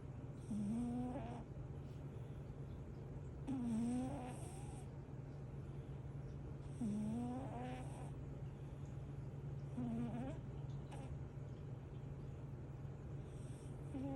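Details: Winter, a sleeping cat worn out from playing, snores loudly: rough, breathy snores with a short rising tone, repeated about every three seconds, over a steady low electrical hum.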